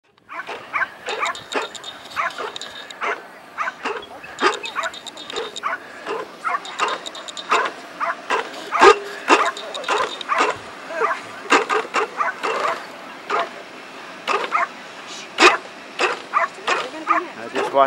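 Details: A Cairn Terrier barks in rapid, sharp, high-pitched, excited bursts while running an AKC Coursing Ability Test in a riverfront park.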